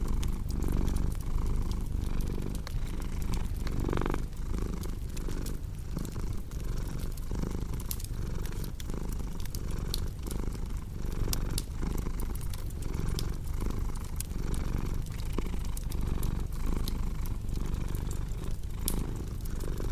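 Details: Continuous low, throbbing purr of a house cat, pulsing in regular breath cycles for the whole stretch, accompanied by the scattered sharp crackling of a wood fire nearby.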